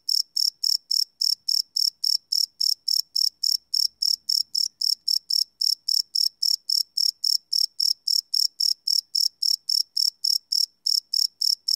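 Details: Crickets at night, field-recorded live with a Sony PCM D100: sharp, high, ringing chirps repeated in a fast regular rhythm, nothing else audible in the background.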